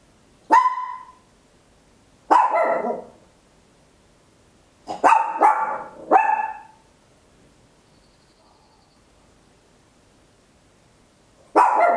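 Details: Small Papillon dog barking very loudly at home, captured in stereo on an Olympus LS-11: sharp, high barks with strong harmonics, single and paired, spaced irregularly over twelve seconds with quiet gaps between.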